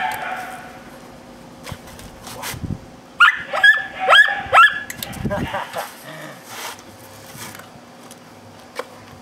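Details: A dog named Hercules, undergoing K9 training, lets out a quick run of four or five harsh barks in the middle, framed by quieter knocks, movement and low murmuring.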